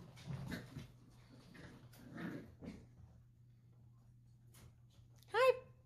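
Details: Dachshund puppies wrestling indoors; after quiet talking and soft rustling, one puppy lets out a sudden short high whining yelp with strong overtones near the end, followed by quiet.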